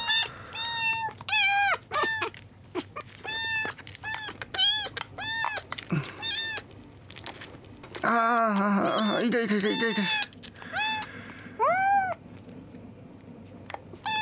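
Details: Young kittens rescued drenched from a road, two days into care, squabble over milk in a small room: insistent, piercing meows every half second or so, a woman's voice murmuring in the middle, then a few more plaintive cries.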